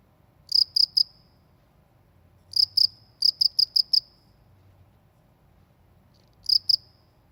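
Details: Cricket in a rural countryside setting giving short bursts of high, rapid chirps in groups of two to five pulses, separated by silent gaps of one to two seconds, over a soft low background rumble.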